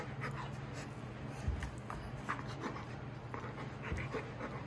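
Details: Golden Retriever overjoyed as the younger son comes home from his school's opening ceremony, panting in quick, soft, breathy pulses repeated steadily through the clip, with a low indoor hum beneath.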